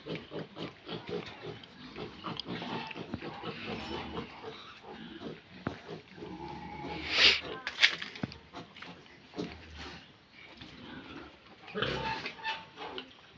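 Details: Pigs on a farm at feeding time, a dense chorus of grunts and sharp, high squeals, one loud shrill squeal standing out midway, with human voices in the background.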